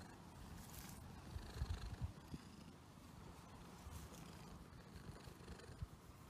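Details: Domestic cat purring, a low, steady rumbling texture with soft irregular pulses and a few louder throbs around the middle, with faint hiss above.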